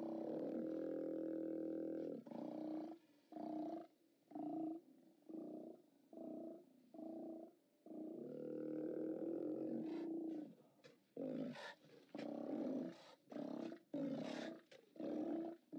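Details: Live-cam recording of Steller sea lions at a haulout, 29 October 2017: one long, steady, low roar lasting about two seconds, then a string of shorter rasping roars roughly once a second, ending in quicker, choppier overlapping bursts.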